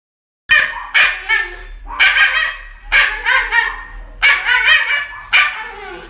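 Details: Dog getting an injection gives loud, harmonic yelping cries in about five bursts, each rising and falling, separated by short gaps over six seconds, in a quiet room.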